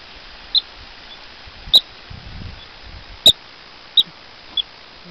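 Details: Woodchuck, also called rock chuck, hiding among big rocks in western Colorado one evening, whistling at people and dogs that cannot reach it: five sharp, high whistled chirps spaced irregularly, with faint rustling between them.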